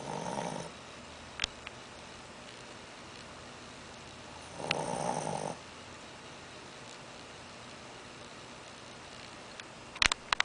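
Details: Shih Tzu puppy asleep after overeating gives raspy, breathy snores about five seconds apart, each under a second long, with a few sharp clicks near the end.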